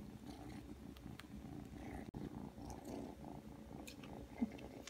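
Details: Aki, a three-month-old Ragdoll kitten indoors, comes when called and settles to knead and suckle; a soft, steady low purr rumbles throughout, with light rustling and a sharp click near the middle.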